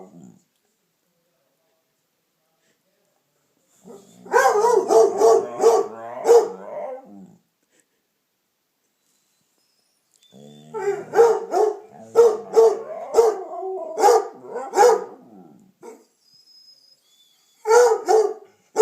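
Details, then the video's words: Household dogs: Piper, a Redbone Coonhound, barks and bays while Damion, known as a talker, joins in. Two long bouts of rapid, rough barking are mixed with wavering howled notes, then silence, then a final short burst. "Howling, yawning and talking.........Damion does it all!"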